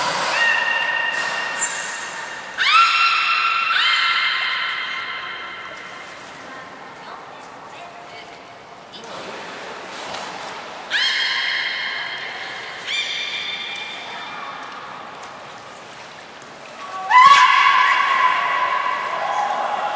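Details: Aquarium-trained belugas Nana and Niko, Port of Nagoya Public Aquarium, 7 October 2018: a series of drawn-out harmonic calls in bouts every few seconds, each rising at the start then holding level, with occasional high whistle notes.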